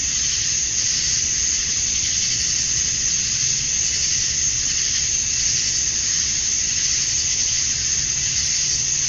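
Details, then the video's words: Summer-night chorus of male cicadas at dusk in Georgia, USA, calling to attract females; a constant high hissing drone with soft periodic pulses and no pauses. "Cicadas at Dusk, Summer Night"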